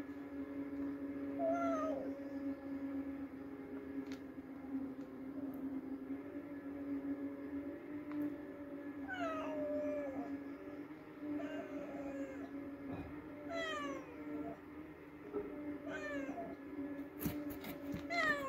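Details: After a mouse hunt, a house cat gives a series of short, downward-sliding meows, about seven over eighteen seconds and irregularly spaced, some quieter than others, above a continuous low hum.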